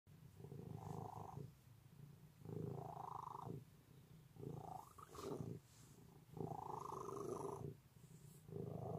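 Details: Domestic cat purring loudly and steadily, a low rumbling vibration swelling and fading in breath cycles about every two seconds, with brighter, louder phases alternating with softer ones; indoors, no other sounds.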